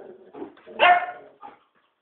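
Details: Puppy during a playful night-time romp gives one short, rough bark near the middle, preceded by soft grumbling noises and followed by a brief faint yip, indoors.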